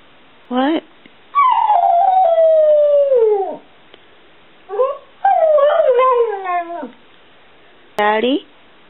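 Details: Pet Border Collie mix, seven years old, 'sings' and talks back when his family asks if he loves them: short yelps framing two long, slowly falling whining howls with rich overtones, separated by pauses.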